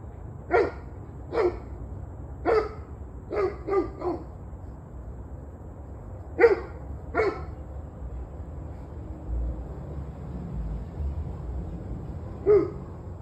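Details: A dog barks on the evening of 21 November 2023 in irregular bursts: five quick barks in the first four seconds, two more near six and seven seconds, a long quiet gap, then one last bark, with low rumbling noise beneath.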